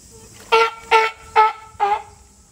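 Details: California sea lion at Higashiyama Zoo and Botanical Gardens, Japan, recorded July 2022: four loud, harmonic, honking barks spaced about half a second apart, each short and clipped, over a quiet background with a steady high hiss.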